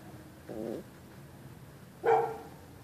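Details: A neighbour's dog at night reacting to someone on the sidewalk; a softer, muffled bark-like sound first, then one sharp, louder bark about two seconds in, over a quiet, slightly noisy background.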